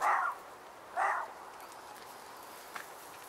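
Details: Dalmatian dog barking outdoors: two short, harsh, mid-pitched barks about a second apart, followed by quiet background with a faint click.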